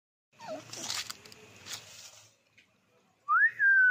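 A Labrador puppy gives a clear, high whine that rises sharply, then slowly sags, after some muffled scuffling.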